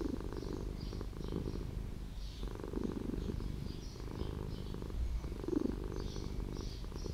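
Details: Low, steady purr from a street cat that lives in an old house. The rumble pulses in regular breathing cycles, with faint bird twitters sounding above it.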